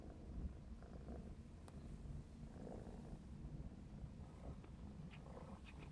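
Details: Black smoke Maine Coon tomcat, four and a half months old, purring while playing; a steady low rumbling purr fills the clip, with faint scattered clicks and rustles on top.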